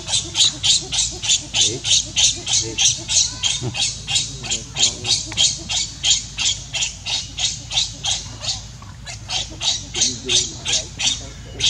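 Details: Hungry baby monkey Leo begging its mother for milk, giving a long unbroken series of rasping, scratchy cries at a fairly even pace of about three per second, loud and persistent throughout.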